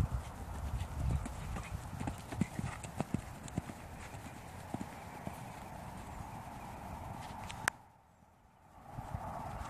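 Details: Dutch Warmblood horse moving, its hooves landing in irregular dull thuds and sharper clicks over a steady low rumble of background noise, with a brief sudden drop to near quiet toward the end.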